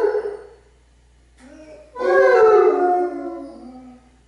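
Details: Basset Hounds Radar and Otter with Bloodhound Jefro howling together in harmony: a short falling cry, a pause, then a loud layered chorus of overlapping tones that slides downward and fades.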